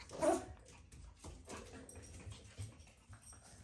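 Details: A Shih Tzu puppy at bath time gives one brief, high whimpering yelp, then soft indoor noise.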